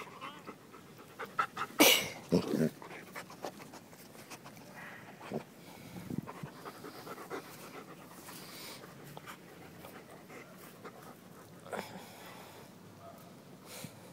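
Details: Puppies at play, with their mother named Lilith nearby: soft rapid panting repeated almost twice a second, broken by a few louder scuffling bursts and brief thumps, with occasional quiet human speech.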